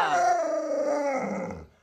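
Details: Indoor pet Alaskan Malamute Luoluo, reacting as people talk about touching the baby; a bright, high-starting howl gliding downward and fading out, with a faint voice underneath.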